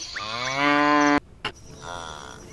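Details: Buffalo mooing: a loud, drawn-out harmonic low call lasting about a second, cut off abruptly, followed by a short click and a fainter, softer second call.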